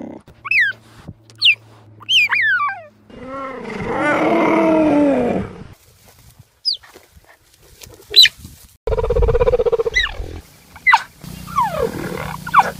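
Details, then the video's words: A cheetah gives a few sharp, falling chirps, then a long arched harmonic moan. Scattered bright chirps follow, with a buzzy rough stretch near the end and steady low hum between the cuts. "The sounds that Cheeta makes"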